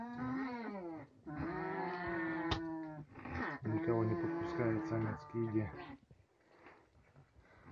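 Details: Caged nutria group, a young male newly put in with eleven females and keeping them from the food. Repeated drawn-out nasal moans with stacked harmonics, several in a row over five seconds, then quieter rustling.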